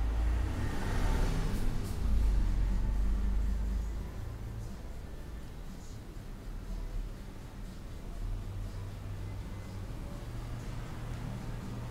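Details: Low rumbling room or traffic noise with a faint murmur of speech continues throughout.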